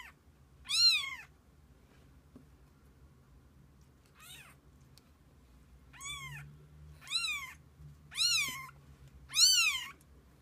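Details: Kittens beside their mother cat for the day, giving six loud, high, arched meows at irregular intervals of about one to two seconds, with near silence between them.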